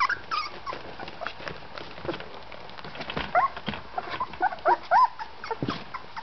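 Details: Golden Retriever puppies, 18 days old, from a litter of seven males and one female, eyes and ears open, toddling around indoors; thin high whimpers and short squeaky whines, several rising-falling yips clustered late in the clip, over soft rustling.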